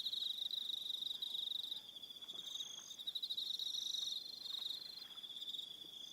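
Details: Crickets on an evening at Aroha Island, New Zealand: a steady high pulsed trill, joined by shimmering higher chirps and faint tonal notes that come and go, with brief dips in loudness.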